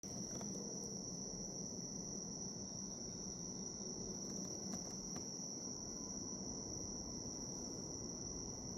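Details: Bell cricket chirring as a calm nature sound: a steady, high, unbroken ringing tone runs through the whole stretch over a soft low rumble, with a few faint brief ticks near the start and middle.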